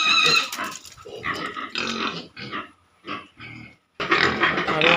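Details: Pigs at a piggery, giving broadband harsh squeals and grunts in bursts separated by short pauses, with a loud dense burst of squealing near the end.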